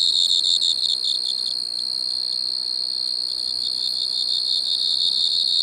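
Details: Singing Striped Marsh-cricket, Pteronemobius lineolatus, Maggia, Switzerland, 1 September 2023, ultrasound detector recording: loud, high, shimmering trill with quick pulsed texture and a bright upper overtone, sustained throughout with slight dips in loudness.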